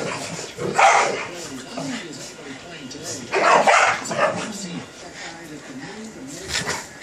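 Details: Two dogs, a 25 lb Boston Terrier and a 110 lb lab/pit mix, play-fighting indoors; two loud, rough bark bursts about two and a half seconds apart, with a person talking throughout.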